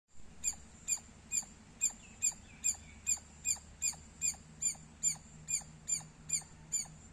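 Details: Squirrel chirping loudly: a steady series of sharp, high-pitched chirps, each with a quick downward sweep, repeated about two to three times per second with even spacing over a faint low background hum.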